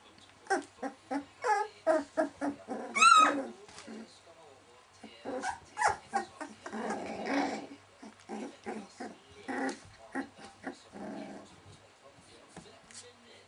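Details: Litter of 19-day-old Welsh Springer Spaniel puppies: a busy run of short squeaks, whines and little grunts overlapping, with one higher wavering whine early on, then softer muttering and fussing sounds.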